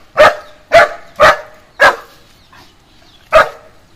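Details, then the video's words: German Shepherd guarding its home with a run of four sharp barks about half a second apart, a brief pause, then one final bark. "German Shepherd Dog Protect My Home"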